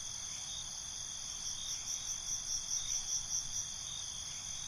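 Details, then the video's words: Crickets at night keep up a dense, high-pitched buzz of overlapping trills; midway a short series of louder pulsed chirps stands out before the chorus settles back to a steady hum. "Night ambience, Cricket Conversations"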